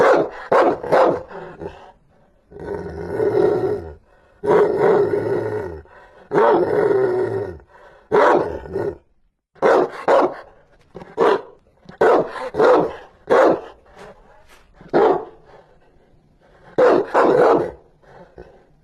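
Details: Fierce Rottweiler barking mixed with long, rough growling roars lasting about a second each, followed by rapid sharp barks in singles and pairs.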